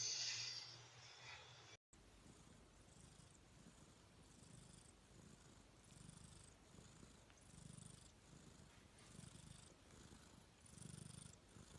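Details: Sleeping cat snoring softly, after a brief different noise at the start: rhythmic breathing with low rumbling pulses alternating with airy hissing, each cycle lasting just under a second, steady and quiet.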